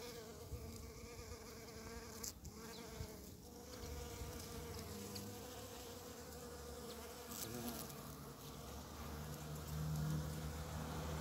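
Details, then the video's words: One of the first bumblebees of spring, flying among snowdrops and primroses: a droning buzz with a rich harmonic series, rising in pitch and loudness toward the end as it nears. "Первые Шмели"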